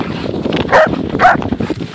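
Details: German Shepherds out snowshoeing in snow, with a Lab-Shepherd cross in the group, giving two short barks about half a second apart over rushing wind, while a person calls the dogs along.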